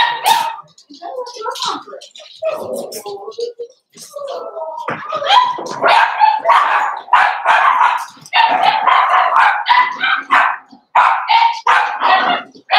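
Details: Cavalier King Charles Spaniel puppies in a home puppy pen, socialising with several bigger adult dogs they know, on 12/13/22; a busy run of overlapping barks and yips with brief gaps, and voices underneath.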